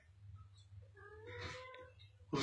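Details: Domestic cat giving a short, drawn-out, wavering caterwaul of about one second over a low indoor hum, ending in a sudden loud bump.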